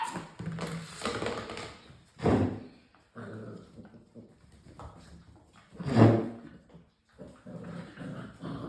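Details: Six-week-old English Springer Spaniel puppies from one litter: two loud, abrupt yelping barks a few seconds apart, between softer whines and low grumbles.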